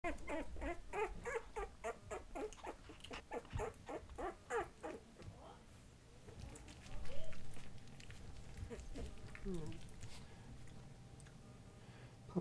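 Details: Patterdale Terrier puppies, two and a half weeks (20 days) old, playing together. A quick run of short, low, grunting yips comes through the first five seconds, then quieter scuffling with soft human voices.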